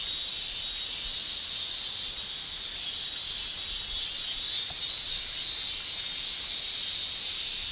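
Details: Male cicadas shrilling in summer in Japan, their tymbals producing a steady, dense high-pitched hiss that holds without a break, swelling and dipping gently in loudness, with no other sound standing out.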